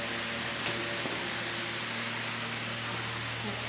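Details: Steady hiss of fan-like noise with a faint low hum throughout.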